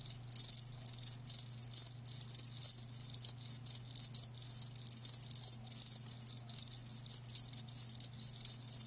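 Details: Live crickets recorded as natural sound, chirping in rapid, high-pitched pulsed bursts, several per second, keeping up a steady, continuous chorus, with a faint low hum underneath.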